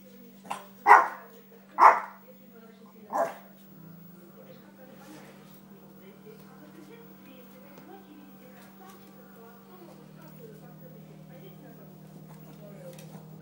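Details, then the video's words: Little dog at play and training fires off three quick barks in the first few seconds, then falls quiet while soft voices and a constant low hum continue. "LIttle dog playing and training"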